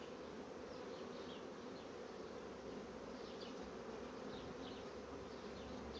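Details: Steady mass hum from strong honey bee colonies rapidly building out foundation, evenly loud throughout, with faint scattered bird twitters high above the drone.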